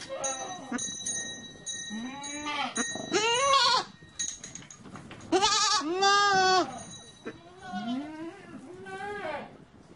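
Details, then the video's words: Several goats bleat in overlapping, quavering, nasal cries of differing pitch, some rising then falling. They come in bursts about every few seconds, with a steady bell-like ringing tone throughout. "Con dê Tiếng kêu và hình ảnh con dê Ai nói dê kêu beeeeeee"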